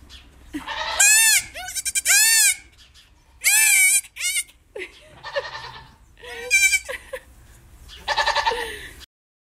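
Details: Baby goats, three of them, being lifted and posed by a woman in the United States, give repeated bleats that are quavering, nasal and strongly harmonic. The bleats overlap in quick bursts, with faint human voices between them.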